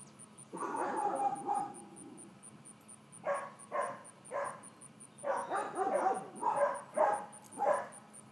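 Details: Four-month-old female miniature dachshund puppy, over-excited during calmness and leash training, giving short sharp yips and barks in quick clusters, with a faint steady high ticking in the background.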